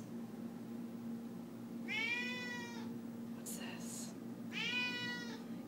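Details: Domestic cat begging for chicken during cooking indoors: two clear harmonic meows about three seconds apart, each slightly falling, with a brief rustle or clatter between them and a low appliance hum.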